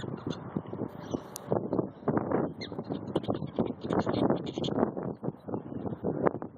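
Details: Prairie dogs battling over peanuts: a dense run of rapid, harsh, broadband chattering bursts, tightly packed and uneven, with faint higher chirps above.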